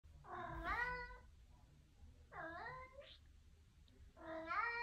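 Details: Three clear meows from a Maine Coon cat in a bathroom, each about a second long, harmonically rich and bending up then down in pitch, at roughly two-second intervals against a quiet indoor background.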